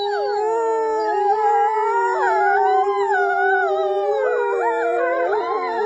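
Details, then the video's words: Loud, full group howling from several wolves, with long steady notes layered under higher voices that waver, climb and dip in a rich, continuous chorus. "Волки воют на свободу"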